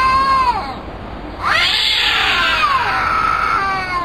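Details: Two cats calling back and forth: a short falling meow, a brief pause, then a loud, long, drawn-out wailing meow that wavers and slowly drops in pitch.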